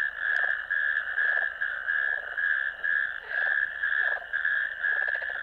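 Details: Natterjack toads heard from a ditch on 1 May 2024 on a camera recording: a loud, rapid rattle broken into bursts about twice a second, with fainter lower croaks between them.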